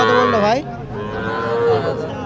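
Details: Sahiwal bulls being bought and sold at Aftabganj cattle market, Dinajpur, on 19 February 2025. One loud bellowing moo bends down and then up, followed by a long, steadier lowing tone, with market crowd noise behind.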